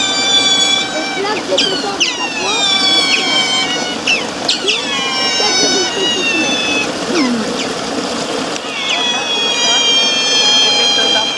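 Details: Eurasian otters at Zoo Basel, a chaotic group, keep up rapid repeated squeals and falling chirps, roughly two or three per second, over a constant murmur of visitors.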